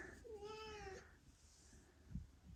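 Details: In a freshly cleaned, echoey room in Australia holding a mother Ragdoll cat and her five 8-week-old kittens, a Ragdoll gives one drawn-out, slightly falling, clearly tonal meow.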